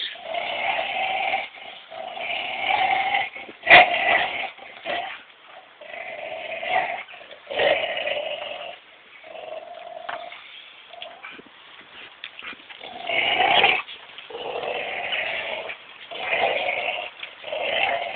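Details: Buddy, a Belgian Shepherd, and Missy, a Labrador Collie cross, playing tug of war; Missy makes plenty of noise. A continuous rough, rasping growl rises and falls in long bursts with brief pauses, and one sharp click near the middle.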